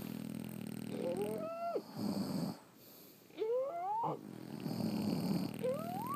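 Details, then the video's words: Snoring from French Bulldogs sleeping at home: throaty buzzing inhales broken by thin rising whistles through the nose, repeated every couple of seconds with soft wheezes between. "Snoring French Bulldogs"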